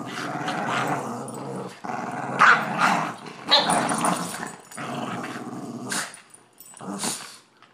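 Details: Two Boston Terriers growl in rough, rumbling bursts while playing tug-of-war with a person over one small rope.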